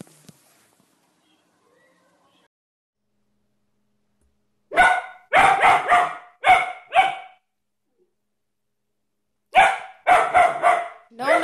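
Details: German Shepherd giving two rapid bursts of rich, harmonic barks, five or six in quick succession each time, separated by several seconds of silence; a person nearby calms the dog, and music plays.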